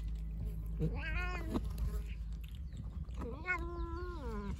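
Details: A stray calico cat trying to carry food outside gives two drawn-out meows, the first rising then falling, the second longer and wavering, over low background rumble.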